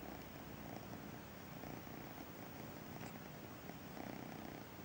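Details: Braveheart, the kitten of Missy the feral cat, meets the sofa for the first time, giving a low, steady rumbling purr under a broad hiss of background noise.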